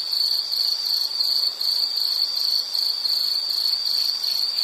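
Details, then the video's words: Steady high-pitched insect trilling, pulsed in quick regular bursts, from a calming nature-sound recording meant for study or sleep; nothing else audible. "Nature Sound of nature sounds scenery L · insect"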